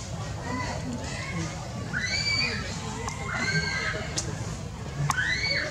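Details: Very small baby monkey in Cambodia screaming and crying after being bitten by the monkey Lizzy: a run of high, arched, wailing cries with bright harmonics, several rising then falling, over a low rumble of background noise.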